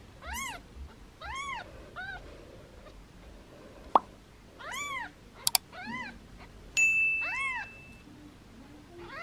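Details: Foster kittens meowing playfully while held in hands, their mother nearby; several high, arching mews with rising-falling tone, about six spread across the stretch, plus a sharp click, short knocks and a brief electronic beep.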